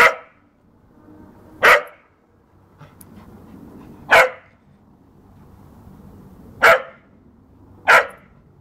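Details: Playful barking from a working cocker spaniel (field spaniel) in a garden; five short, loud, explosive barks at uneven intervals of roughly one to two and a half seconds over a quiet backdrop.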